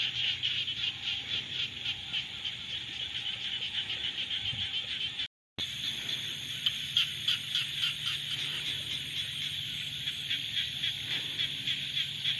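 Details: A dense frog chorus in the rainy season in Cambodia, rapid, rasping pulses, steady and continuous.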